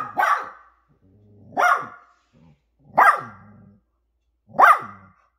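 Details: Barking from a poodle family, mother with puppies, four loud harsh barks spaced about one and a half seconds apart, each trailing into a low rumbling growl.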